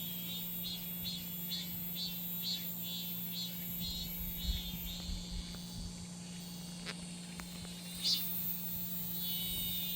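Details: Summer cicada song. High buzzing pulses repeat roughly twice a second, then merge into a steadier drone. A continuous low hum and a high hiss fill the background.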